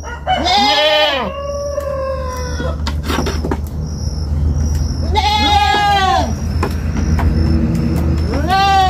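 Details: Young goat on a farm bleating in long wavering cries with rich harmonics, three calls spread across the clip, over a steady low hum and faint background noise.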